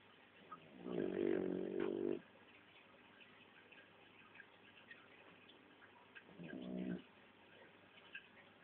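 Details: Sleeping Shar Pei sharing its owners' bed gives two raspy snores about five seconds apart, the first longer and louder, the second short, both low rumbling rattles over a quiet background.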